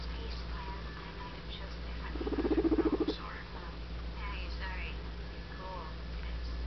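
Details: Adopted pet guinea pig vocalizing indoors: a short, low, rapidly pulsed rumbling burst lasting about a second, with a few faint high squeaky notes scattered before and after against steady low background hum.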